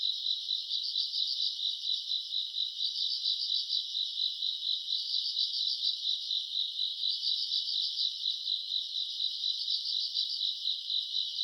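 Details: Summer-night grass insects recorded in August: a steady shrill band of trilling, broken into pulsed bursts that rise and ease every second or two, with a faint higher shimmer above and nothing else heard.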